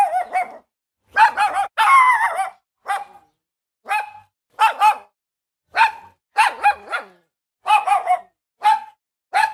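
A Boston Terrier gives sharp, high barks, often in quick pairs, repeated about every second.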